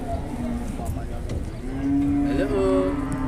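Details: Very large cattle in Indonesia, sold on arrival: a short low lowing note, then a long steady moo that holds its pitch through the second half, with faint background talk.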